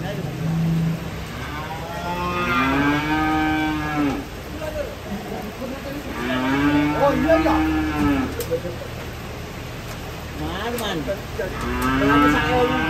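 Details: Cattle coming down off a truck give three long, drawn-out moos about four seconds apart, each swelling and then fading. Light background noise and faint music accompany them.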